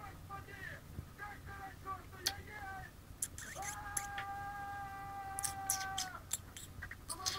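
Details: Month-old kittens of Chinita and Kim, 28 days of age, with short clipped mews early on, then a long, steady, drawn-out meow held for over two seconds, followed by sharp clicks and rustles.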